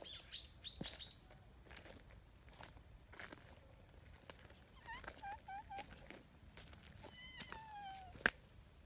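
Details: A young, somewhat timid stray tabby cat gives thin, high meows: a few short mews, then a longer falling one. High bird chirps come first, and a sharp click follows near the end.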